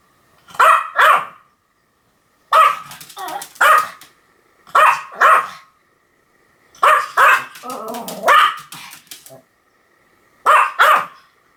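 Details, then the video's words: Pomeranian dog giving shrill, clipped barks mostly in twos and threes, separated by short silences, with a brief rough whining grumble between barks in the middle. "犬の鳴き声 ポメラニアン 1000回吠え Dog sound effect"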